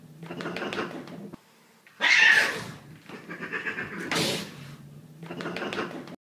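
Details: Indoor cats scared by another pet and fighting back: rough hissing bursts around two and four seconds, with murmured growly sounds before and after and a short quiet gap at one and a half seconds.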